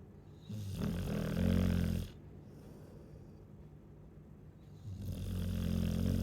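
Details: A Chow Chow snores in deep, harsh, buzzing bursts, two long rattling inhalations about four seconds apart, low-pitched and loud.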